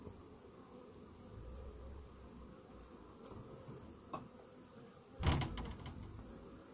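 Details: Colony of honey bees, their hive treated that morning for Varroa mite infestation, giving a continuous low droning hum; a loud wooden clunk near the end, like a hive tray being moved.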